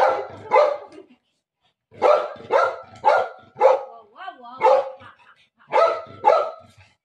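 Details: Milo, a household dog, barks to welcome mummy: paired loud barks in groups with short gaps, and a person's voice heard briefly in the middle.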